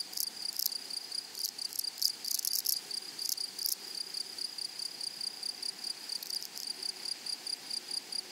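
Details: Grasshoppers in a flowery meadow, steady high-pitched buzzing hum with a fainter overtone above it, broken by loud bursts of rapid scratchy chirps, especially in the first three seconds and again near six seconds.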